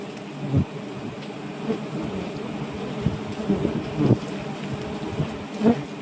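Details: Wild giant honey bees swarming around a nest being harvested in the evening. The hum is low and steady, with sharp knocks and thumps from the work at the nest scattered through it.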